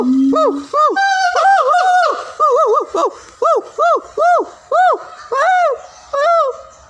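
A siamang calls loudly, each note an arched whoop that rises and falls, repeated about twice a second. The series starts with a low tone and builds into strong, ringing hoots.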